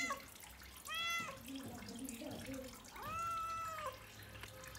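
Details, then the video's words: Brown domestic cat meowing twice, each call a clear, arching wail about two seconds apart, over the sound of a running water tap. "Brown Cắt meowing"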